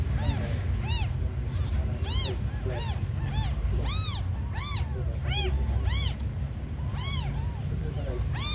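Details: Tiny abandoned kittens mewing constantly, about ten thin rising-and-falling meows in quick succession, some overlapping from more than one kitten, over a steady low rumbling background noise.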